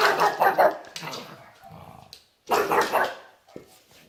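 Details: Derp the pug, a pet dog having a hard time indoors in a small room, gives two bursts of rapid, harsh barks, one at the start and another after a short silence, with a faint trailing yelp.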